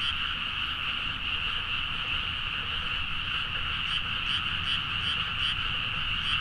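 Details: Many frogs calling together late at night in paddy fields of Nagaoka, Niigata, Japan, captured with a Zoom H4n; steady overlapping croaking forms an unbroken drone, with quick pulsed notes flickering through the second half.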